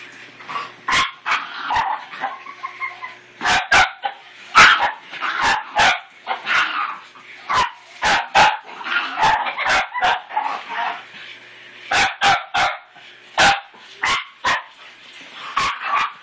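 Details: Scuttle, a male pet dog, freaks out and tries to kill his new toy puppy, letting out sharp barks in irregular bursts across the recording, with short yips and whining tones between them.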